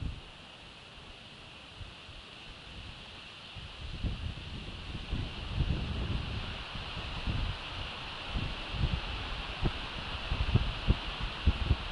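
Wind buffeting the microphone and rustling leaves, with a steady hiss and no animal calls.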